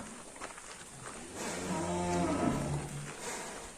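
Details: Large cattle leaving the pen in Indonesia, giving a single low, sustained moo of about one and a half seconds in the middle, rich in harmonics, over a steady background hiss.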